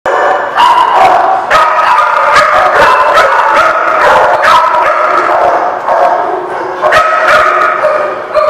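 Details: Several dogs barking together, recorded 10/7/17: a dense, loud chorus of overlapping harsh barks and yips, sharp bursts roughly every half second to second, with no pauses between callers.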